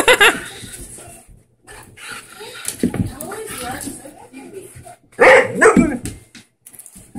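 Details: A 4-year-old Siberian husky gives loud, drawn-out yowling bursts that bend up and down, with another dog of unknown breed present and a person talking nearby.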